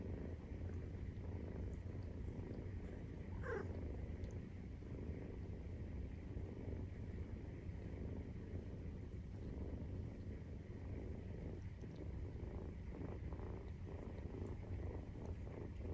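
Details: Low, continuous purring of Maine Coon cats while the kittens, 43 days old, nurse. The rumble holds steady, and a brief thin rising squeak sounds early on over the throbbing drone.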